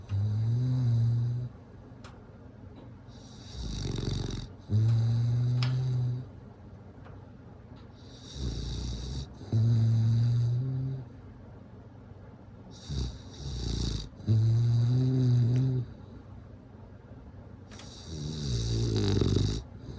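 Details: Steady bulldog snores roll through about six breathing cycles, each a deep droning, vibrating snore followed by a short harsh airy rasp, repeating roughly every three seconds with quiet gaps between.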